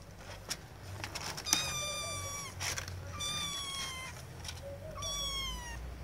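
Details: Kittens trying to get their owners' attention: a series of three drawn-out, high, slightly falling meows, each about a second long, with soft lower mews and a few clicks and taps between them.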